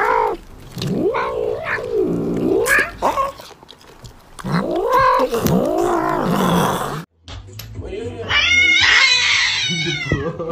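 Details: Domestic cat yowling in long, wavering caterwauls that arch up and down in pitch, three drawn-out cries over seven seconds, then after a short break a higher, strained meowing wail, with faint human voices behind.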